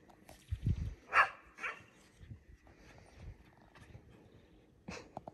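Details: Border Collie outdoors in March snow, giving a few short, sharp barks: two close together early on, then another burst near the end, with quieter low thuds and rustling between them.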